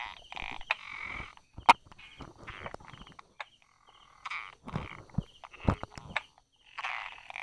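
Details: Brauer's tree frog hidden beside rock crevices and grass, recorded 22 July 2016 mid-morning, giving irregular clusters of hard 'da-da' clicking notes with short gaps between them, and one loud sharp snap near the middle.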